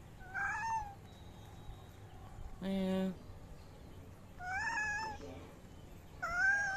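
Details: Large-bodied Angora cat meowing three times, each meow a clear, wavering cry that rises then falls, spaced about two seconds apart; a short buzzy low tone sounds between the first and second meow over a steady low hum.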